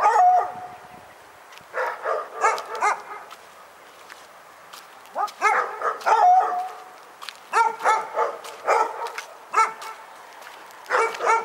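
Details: Barking dog recorded in Pyrga, giving clusters of high, yelping barks in bursts of three to five, separated by short quiet gaps, continuing steadily for over eleven seconds.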